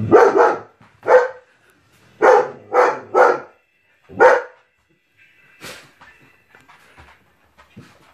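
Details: German Shepherd dog giving loud, harsh barks, singly and in quick doubles and triples, about one a second for four seconds, then quieter scattered sounds.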